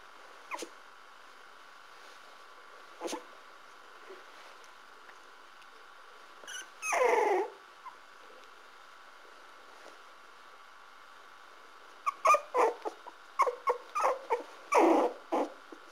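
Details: Parson Russell Terrier puppies of the Stormy Wights kennel, with a short whimper early on, a longer whining cry near the middle, then a burst of rapid high yips and squeals toward the end over a steady background hum.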